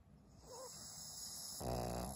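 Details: Maria, a 12-year-old fawn female senior Pug in Japan, snoring in February 2023; quiet raspy breathing, then a louder buzzy, humming snore sets in near the end, over a steady faint high hiss.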